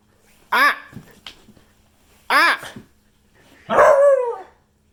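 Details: Beagle giving three loud, harmonic barks: two short sharp yaps about two seconds apart, then a longer drawn-out bay that rises and slowly trails off. Quiet background between calls.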